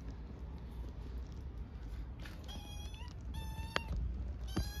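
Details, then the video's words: Hungry orphaned stray kittens in Istanbul, with their mother absent, give loud, high, thin meows with rising and falling tones, begging for food. "Hungry orphaned kittens meow loudly for food"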